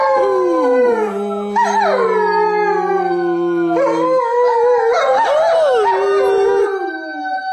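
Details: On Christmas morning a family German Shepherd sings with a child; sustained wavering howls, one long steady tone held for about three seconds, then higher sliding notes rising and dipping, with a child's voice blending in.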